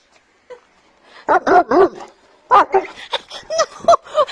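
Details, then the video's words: Bored German Shepherd dog, indoors with his family, barking to demand attention when nobody plays with him; short, harmonic, yelping barks, a tight group of three, then after a pause a quicker run of about seven sharp barks. "GSD Demanding Attention Because He's Being Bored"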